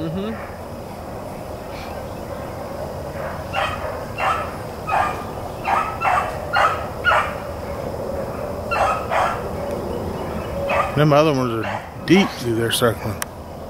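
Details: Blackcreeks and Blueticks trailing a rabbit on April 4, 2013: after a quiet stretch, distant bays come in a quick rhythmic run of about a dozen, then a man starts speaking.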